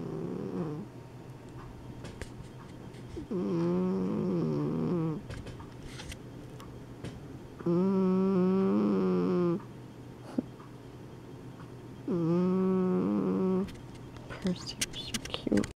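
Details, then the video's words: Asleep indoors, pet cats Penny the Exotic Shorthair and Percy the Persian give harmonic, slightly wavering snore tones lasting one to two seconds, spaced several seconds apart, with faint clicks between. "Snoring kitties starring Penny the Exotic Shorthair and Percy the Persian"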